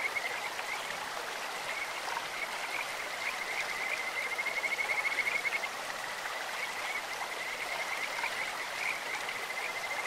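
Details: In a clear stream, Kajika frogs give a high, sweet, bird-like trill: quick repeated whistled notes building to a strong run near the fifth second, with softer calls scattered through, all over constant water noise.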